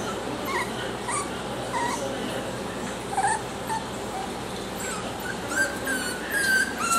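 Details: Little male Miniature Schnauzer puppy, salt-and-pepper and affectionate, gives short high whimpers in scattered bursts, then a longer drawn-out whine near the end, against constant background hiss.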